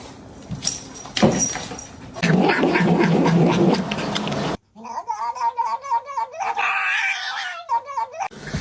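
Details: Domestic cat from a funny cat compilation, giving a run of rapid, harmonic, wavering meows in the second half, after a first half of loud mixed noise and room sound, with laughter around.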